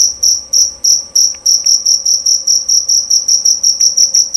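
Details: Jerabang cricket calling loud and clear: high, shrill chirps repeated steadily about three times per second, each chirp a short ringing burst, with a faint low hum beneath.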